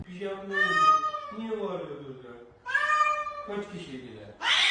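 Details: Kitten meowing indoors: two long, drawn-out harmonic meows, each wavering slightly before trailing off, separated by a short pause. A person talks over the calls, and a brief burst of noise ends the sequence.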